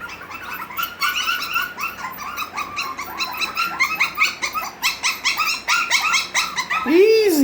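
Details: Havanese puppies, six weeks old, indoors in a small room, giving a rapid string of high yips and play growls, overlapping and irregular, with a person softly saying "easy" and a final rising-falling whine.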